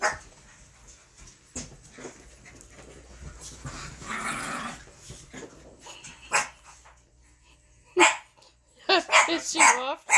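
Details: Sherman the pet dog begs indoors for nightly treats after bath time. Soft talk and faint rustling come first, then a cluster of loud, sharp, wavering cries and yelps near the end.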